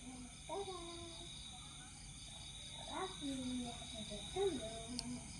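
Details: Siberian Husky named Viona, just let off the leash, gives a series of whining calls that rise and fall in pitch, with three main bursts spread over a few seconds, set against a steady electrical hum.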